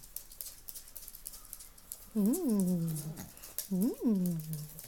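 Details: Two Chihuahuas meeting for the first time: two drawn-out, whining yelps a second or so apart, each rising sharply then sliding down into a lower held tone, over a quiet indoor background.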